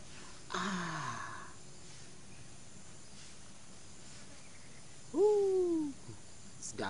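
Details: Domestic cat in the morning, making noise while trying to mate; a single drawn-out meow falling in pitch near the end, preceded by a short burst of human voice over a steady low background hum.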